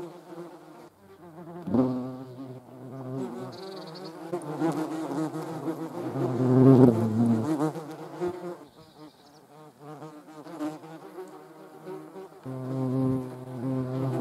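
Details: Hornet attacking wasps in the Eifel, Germany; loud droning wing buzz with stacked harmonics, rising and falling in intensity as insects move close, with a sharp surge mid-clip and a steady hum at the end.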